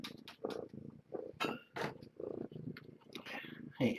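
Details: Kittens of a stray mother cat rescued at Purrfect Pals, at breakfast after a morning drop-off of food: low rumbling purr in short pulsed bursts, broken by sharp clicking and smacking noises throughout.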